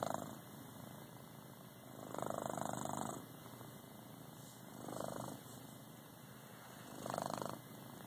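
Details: Sleeping pet domestic cat named Lucky snores indoors, recorded on an Android phone: soft, breathy rasping bursts about every two and a half seconds over a steady hiss.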